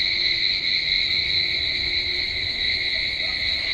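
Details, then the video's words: Crickets calling loudly at night around 11:30 pm outside a house gallery, a sound the listener finds frightening; a steady, continuous high shrill trill in two bright bands, unbroken through the recording, with no other clear sounds. "तुम्हाला रातकिड्यांचा आवाज येतोय का एवढा रातकिड्यांचा आवाज येतोय ना भयानक वाटतं एकदम भयानक"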